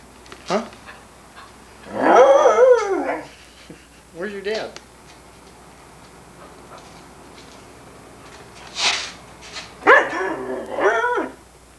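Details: Sunny, a female Irish Setter, 1987 home recording from VHS, 'talks' in answer to 'Where's your dad?': wavering, whine-like harmonic moans about a second long, a short yelp-like burst, then another warbling run; a person's voice nearby.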